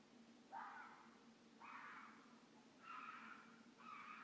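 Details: Wild red fox mated pair calling a mating call in the middle of the night at Midhurst, England, near village woods; four harsh, hoarse, drawn-out cries about one second apart, each a broad rasping burst, over faint low background hum.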